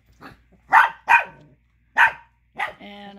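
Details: Angry Chihuahua pup barking over a bone another dog holds: several quick high barks, then a woman's voice at the end.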